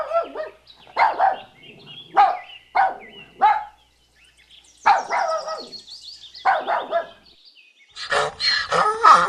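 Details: Puppy barking: a string of short, sharp yappy barks, roughly eight in nine seconds with brief gaps between, ending in a louder, harsher burst of noise.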